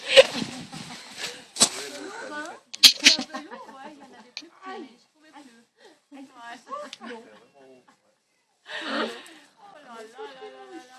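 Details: Five-week-old Labrador Retriever puppies playing together in a garden: a busy run of short, squeaky yips and squeals, many bending up or down in pitch, broken by sharp scuffling clatters and brief quiet gaps.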